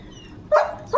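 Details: Pet German Shepherd named Leo, indoors as a new spiked rubber chew toy is unboxed for him: two short, tonal barks about half a second apart, each a quick harmonic burst, with quiet room background between them.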